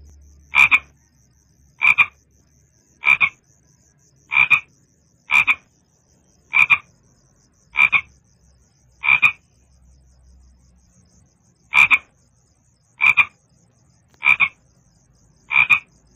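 A frog gives short, sharp croaks, repeated a little more than once a second with a brief pause.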